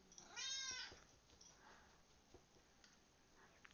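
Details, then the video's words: Pet cat answering a person's whistling and calls with one short, bright, harmonic meow near the start, then quiet room noise with faint clicks. "I whistle making my Cat meow"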